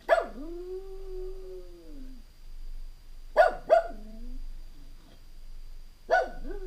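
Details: Home alone indoors, Stanley the Jack Russell Terrier opens with a yelp that melts into a long, sagging howl. A quick double bark follows with short howled tails, then another yelp-howl. The room is otherwise quiet.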